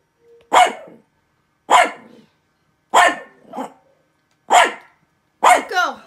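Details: Havashu dog barking at something: five sharp, bright barks spaced roughly a second apart, each a single short burst, with a faint softer yip just before the first one.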